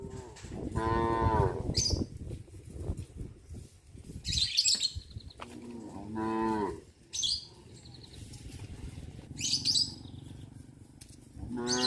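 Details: Cattle on a traditional village farm head past fish ponds to the grazing fields, mooing three times in deep, drawn-out calls spaced several seconds apart, with high bird chirps scattered between them.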